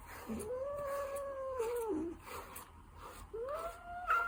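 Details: Ragdoll cat, a calm, dog-like pet, making a long, steady, tonal mewing call that sags at the end. A shorter rising call follows after a pause, over faint background hiss.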